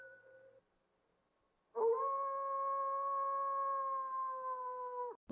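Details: A coyote gives a single long, steady howl that holds an even pitch for about three seconds, then breaks off abruptly; a brief fainter tone comes before it.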